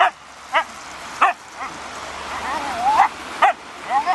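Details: Raign, a Siberian Husky losing patience with a ball, gives clipped barks about every half second, then a long wavering whine that rises before the next bark.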